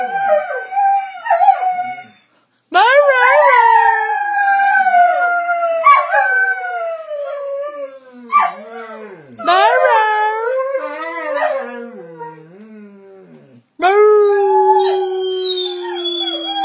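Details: Greyhound, eleven years old, howling on his birthday: long wavering tonal howls with sliding pitch, several drawn-out bouts separated by short pauses, with a person talking and applause and music nearby.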